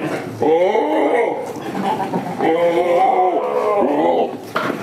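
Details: Village farm holding Damascus and Jamunapari goats: two long, steady nasal bleats, each lasting over a second and separated by a brief gap, with a shorter call at the end.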